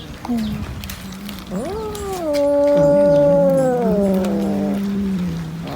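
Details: Cat eating fish lets out a loud, rich, drawn-out yowl that swells upward in pitch and holds steady for about three seconds before sinking back into a low growl.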